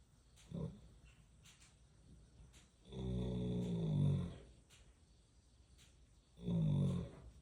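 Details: Horse snoring: a brief grunt, then a long, low, rumbling snore lasting over a second, and another deep snore a few seconds later, with a quiet background between.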